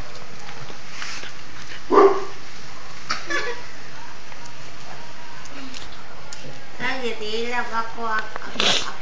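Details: A one-month-old cocker spaniel lets out one sharp bark, then after a pause a run of wavering, whining yelps that rise and fall, with human voices murmuring quietly nearby.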